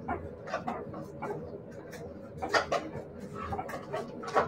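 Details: Siberian Husky puppies giving a run of short, high yips and whimpers in uneven bursts, several close together, over a steady low hum with faint background voices.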